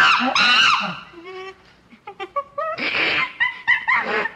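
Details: Chimpanzee calling in a fast, excited sequence: harsh broadband shrieks open, then a run of short tonal hoots climbing in pitch, then more loud raspy screams mixed with clipped harmonic yelps near the end.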